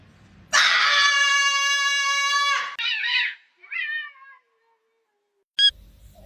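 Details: Domestic cat giving one long, loud, steady meow of about two seconds, then two shorter, quieter wavering mews, with a brief sharp click near the end in an otherwise quiet indoor setting.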